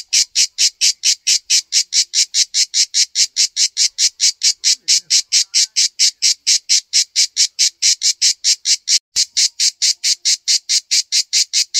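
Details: {'caption': 'Well-hidden cicada on a backyard tree: an unbroken train of loud, dry buzzing pulses near four per second, steady throughout, with one brief click midway.'}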